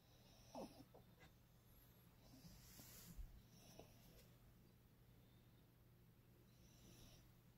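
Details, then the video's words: French Bulldog snoring, a dog treated with a small amount of Vicks rubbed above his nose to ease his breathing; soft raspy snorting breaths come a few seconds apart over a low steady hum. "how to stop frenchie from snoring"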